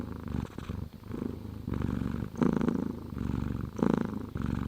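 A domestic cat purrs, a low continuous rumble pulsing with each breath in and out.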